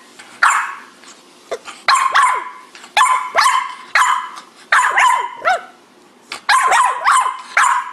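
A French Bulldog gives a run of short, strained yips and groaning barks, bursts coming about every second.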